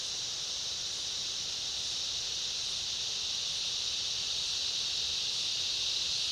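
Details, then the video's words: In a summer rainforest, a cicada chorus joined by other insects produces a constant high, grainy buzz, steady in loudness from start to finish. "Summer rainforest ambience, cicada chorus and other insects"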